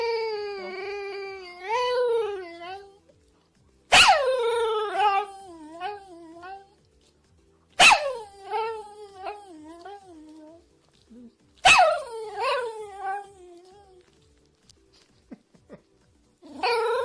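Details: Dog vocalising: drawn-out, wavering, tonal whines and yips that bend up and down in pitch, in bursts of a few seconds, with sharp clicking knocks between bursts.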